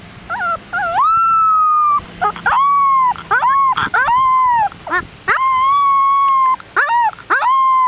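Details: Moose, a 3-week-old Rottweiler puppy on his first trip outside and displeased, howls in high, drawn-out wails that rise, hold steady, then dip at the end.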